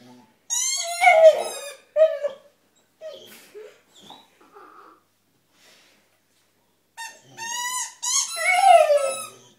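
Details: Oscar, a Staffy cross Rottweiler, cries at his toy with loud, quavering high whines. A long whine opens, then short soft whimpers follow, a pause, and another rising, pleading burst of whines.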